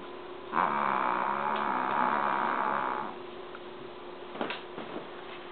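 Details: Snoop, a sleeping dog known for snoring loudly enough to wake the family, gives one long, rough, buzzing snore lasting a few seconds, then quiet room tone with a few faint clicks and rustles.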